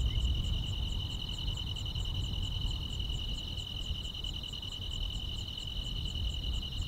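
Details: Summer-night grass insects in the quiet countryside, a continuous shrill trill holding one pitch, with higher pulsed chirps ticking steadily several times a second above it and a soft low hum of ambient noise underneath.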